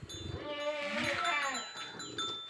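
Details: Goat at a breeding session pairing a red Boer buck with a Jamunapari doe: a single wavering, harmonic bleat rising and falling over about a second, with faint background music.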